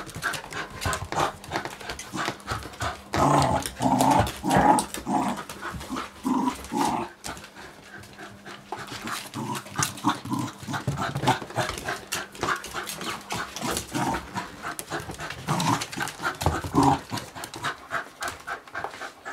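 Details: Play session between two smooth fox terriers, Amadeus (2 years) and Gertrude (5 months), joined by Indy, a 7.5-year-old pit bull, on their fourth day together: steady low growls and grumbling with panting breaths and scuffling throughout.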